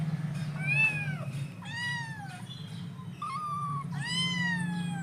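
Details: Hungry kittens calling at breakfast while food is being cooked: a quick series of four or five sharp, downward-bending meows with a steady low hum beneath.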